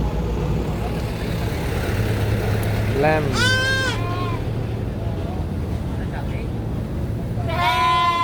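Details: A young goat on a farm gives two loud, wavering screams over a low engine-like rumble.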